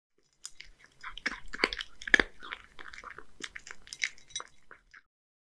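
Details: Hige, a one-year-old male Scottish Fold cat living in Japan, eats boneless horse mackerel mixed with dry food. Short, sharp crunches and wet chews come in bursts, then fade to silence near the end, in a quiet small room.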